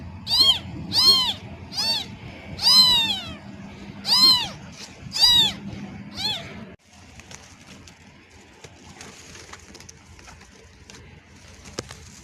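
A newborn kitten cries for its mother with high, thin meows that bend up and fall away, about one per second. After six seconds the calls stop, leaving only a faint background hiss.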